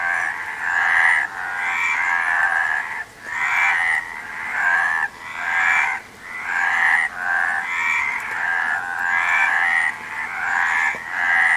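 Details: Frog giving a long run of rasping, pulsed croaks, about one each second, some slightly shorter, steady volume and no background sounds.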